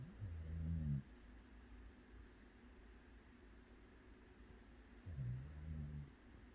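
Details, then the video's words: Sleeping Jindo mix dog snoring: two low, rough, droning breaths about five seconds apart, the first near the start and the second after a long hush of faint room hiss. "강아지 코골이"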